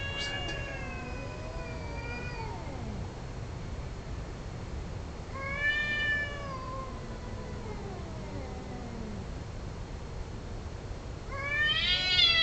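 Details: Domestic cats yowling while mating, drawn-out wailing calls that bend downward and trail off, repeated every few seconds, the last cry louder and rising, with a low hum underneath.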